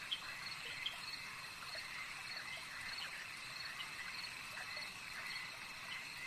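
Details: Lakeside frog chorus, a steady wall of high, even trilling that barely changes in loudness, with a faint soft tick near the start and a few scattered faint notes beneath.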